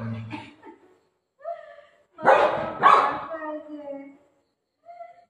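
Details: Playful golden retriever with its mom, a quick pair of loud rough barks in close succession, surrounded by a person's speech before and after.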